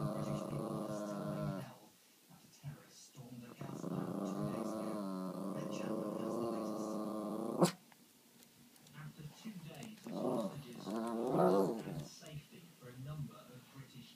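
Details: A chihuahua growls on seeing snow for the first time. A long, low, level growl is held for about six seconds and ends in a sharp click, followed by softer rising and falling murmurs.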